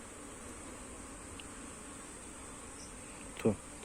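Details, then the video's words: Hive bees humming while frames of comb are moved between boxes; a soft, even drone with a single sharp knock near the end, a faint high whine throughout. "honey bee ବକ୍ସ ଫେଣା ସିଫ୍ଟ କରିବା"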